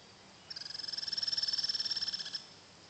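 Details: Native Douglas squirrel on a property kept as a wildlife haven, June 2011, recorded on an Android phone: a high, buzzy, rapidly pulsed trill lasting about two seconds that swells and then fades, over quiet background.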